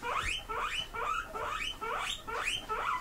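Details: House pigs squeak in reply while waiting to be given grass. A steady run of about seven sharp, upward-sweeping whistled squeals, roughly two per second.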